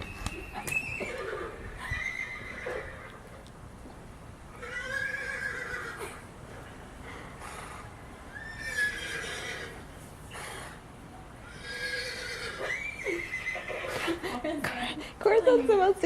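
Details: Horses named Elli, Cricket, Suruhano and Corason hear a horse-neigh alarm ringtone. Several high, wavering whinnies with descending harmonics rise and fall across the clip, a few seconds apart, with soft voices and some hoof clops.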